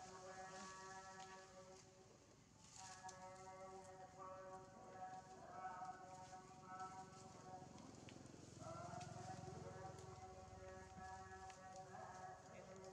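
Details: Injured baby monkey Janna, hurt on the lip, cries from hunger and begs the person filming for food: drawn-out, whining tonal wails in a rich harmonic stack, repeated in bursts with short pauses, one dipping then rising near the end, over rustling background.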